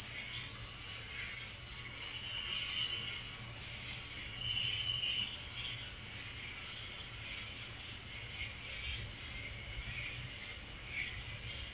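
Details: Crickets chirp through the night in a dense, high, ringing trill that never stops, with brief softer warbles lower down and faint low murmurs.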